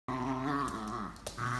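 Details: German Pinscher growling during a pulling game indoors, a low continuous rumbling growl with layered harmonics lasting over a second, a brief break, then the growl resumes; no other sounds stand out.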